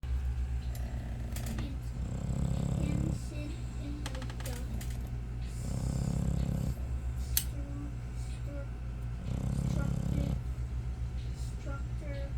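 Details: American Bully dog snoring indoors, low rumbling breaths swelling every three to four seconds, with faint voices and small clicks in the background.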